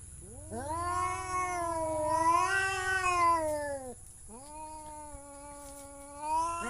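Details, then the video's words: Cat giving two long, drawn-out meows. The first lasts about three and a half seconds and swells, then sags. A shorter, steadier one follows after a brief pause. A constant high-pitched whine runs underneath. "The sound of cat funny"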